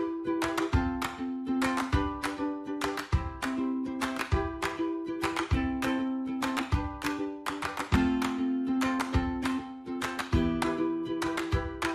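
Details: Bright plucked ukulele chords and melody play through the whole stretch, with no other sounds.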